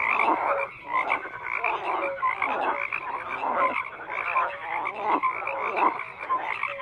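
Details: Frogs croaking in a continuous mass chorus, harsh grating croaks overlapping in rhythmic waves, with a few short tonal notes standing out and a momentary dip early on.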